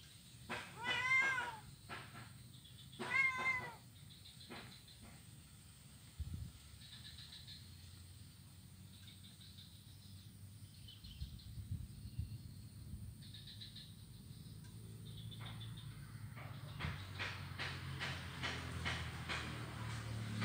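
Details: Blind kitten at play on an ironwood bridge in Kuala Kapuas, Central Kalimantan, 25 November 2019; two short cries near the start, then a long stretch of faint rustling and background noise with clattering taps at the end.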